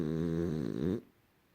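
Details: A rescued female French Bulldog about a year and a half old, napping, gives one deep, rumbling, very loud man-like snore that flutters midway and then falls silent.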